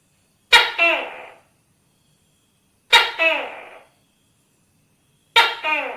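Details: Tokay gecko repeating its two-part call three times, a sharp onset then a drawn-out, raspy note sliding down in pitch, spaced roughly two and a half seconds apart in otherwise silent surroundings.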